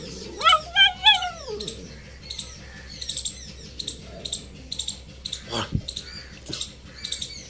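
A Boxer puppy gives a quick run of high, arching whining yelps, then quieter scattered squeaks.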